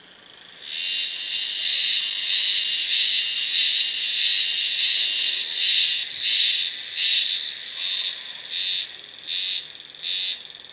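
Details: Cicada singing in early summer, heard calling from just one spot, sounding like a frog chorus from afar: a shrill, high buzzing drone that throbs in pulses about every two-thirds of a second, ending in a few separate short bursts.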